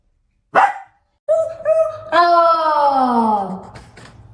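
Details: Dog making a strange sound indoors: one short bark, then a drawn-out tonal whine that wavers and slowly falls in pitch over about two seconds before trailing off.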